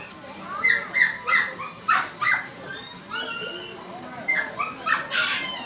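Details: A 50-day-old Chihuahua puppy, newly arrived at a shop, gives short, high-pitched yips and whines in quick bursts; the breed tends to vocalise only when overwhelmed with emotion.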